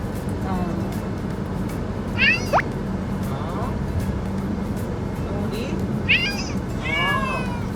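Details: Domestic cat calling out from inside a car while being taken to a new house; several short rising and falling meows around two, six and seven seconds, over steady low vehicle hum with background music and talking.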